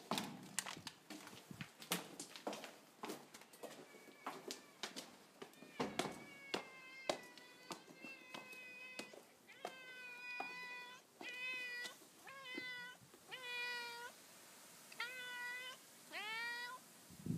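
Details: Pet cat Mo greets its owner arriving home at an apartment block, annoyed if kept waiting: sharp clicks and footstep taps first, then a fast series of short, insistent meows growing louder toward the end.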